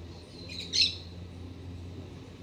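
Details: In an autumn garden with mild temperatures, a black-tufted marmoset arrives as sunlight strikes a Citharexylum myrianthum trunk. It gives a single brief, very high, sharp chirping burst against a soft low hum.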